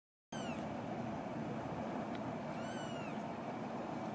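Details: Female Scottish Fold kitten, eleven days old, at a breeder's home in Fujiidera, Osaka, Japan, recorded 3 February 2017; two thin, high, arched mews about two seconds apart over a steady background hiss.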